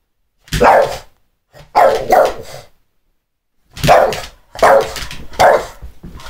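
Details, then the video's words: A Boston Terrier, cued by its owner to bark, gives short, sharp barks in small bursts separated by brief silences. "Crazy Boston terrier man"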